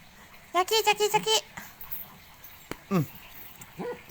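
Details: Pit Bull from Tak, Thailand, a controlled breed kept for dog-pulling, lets out a rapid burst of five or six high whimpering yips in about a second. One falling whine and faint yelps follow, with people talking nearby.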